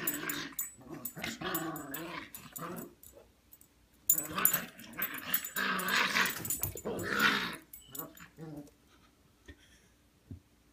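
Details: Playful growling from Gunner, a gentle giant English Mastiff, romping with a small Yellow Lab puppy: two long stretches of rough, rumbling, rising-and-falling growls separated by a short pause, then quieter scuffles.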